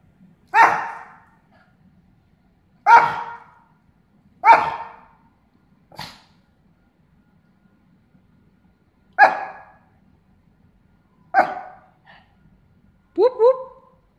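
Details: Gobi, a pet dog, barking at a fake garage door notification: seven sharp barks in uneven bursts across fourteen seconds, the last a doubled, more tonal yelp, with quiet pauses between.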